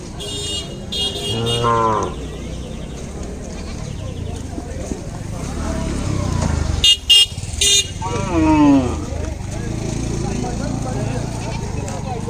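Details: Cattle lowing at a 2019 Gorur Haat cattle market in Bangladesh, where deshi and small cows were for sale. Two short moos, separated by several seconds, are heard over steady crowd talk and sharp vehicle horn toots.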